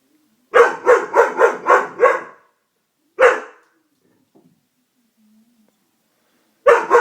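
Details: Doberman scared by a prank, barking in a rapid run of five harmonic barks, then a single bark after a pause and another at the end; otherwise quiet.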